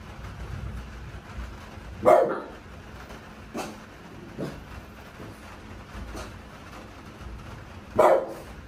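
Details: French Bulldog barking at night during thunder and rain in a sunroom in Kansai, Japan, as Typhoon No. 10 approaches. Two loud barks roughly six seconds apart, with fainter soft sounds between them over constant background noise.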